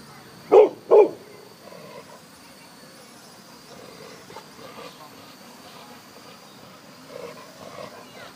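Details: An angry Chow Chow barks at a flying object, giving two sharp barks in quick succession, then falls quiet.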